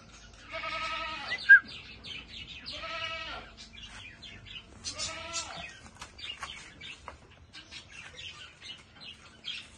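A goat gives three quavering, nasal bleats, each about a second long, with short pauses between.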